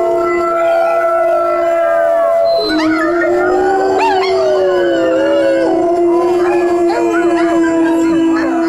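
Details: Several dogs howl together in long sustained tones with rising and falling glides and wavering overtones, played as a recording meant to set pet dogs howling.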